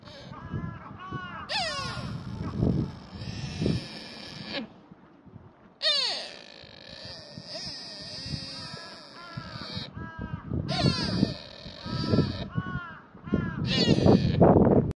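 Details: A sika deer in Nara Park, Japan, gives long, high-pitched, nasal squeals that bend upward then fall away, in several bouts, over low murmuring voices and crowd noise.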